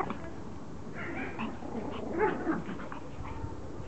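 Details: A Pomeranian begging for her toy to be thrown, giving faint, brief whiny yelps and whimpers, a few short squeaky notes spread over a few seconds, with steady low room noise beneath.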